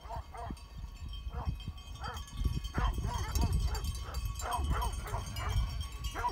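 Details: Great Pyrenees sheep dogs guarding sheep near Heber, Utah, confronting mountain bikers: repeated deep barks in short bursts over steady wind rumble and a voice, with thin ringing tones running through.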